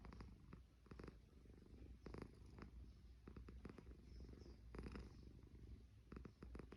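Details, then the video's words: Low, rough rumbling from a sleeping cat, steady pulsed snore with brief clicky breath bursts around one, two and five seconds, quiet room otherwise. "Snoring Cat"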